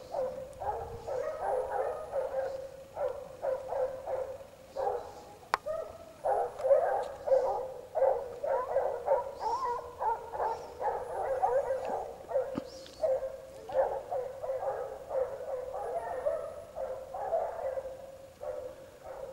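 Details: Several Basset Hounds from the French kennel Rallye de l'Allagnon trailing scent; a pack chorus of overlapping, rapid baying barks, resonant and harmonic, continues without pause through the whole stretch.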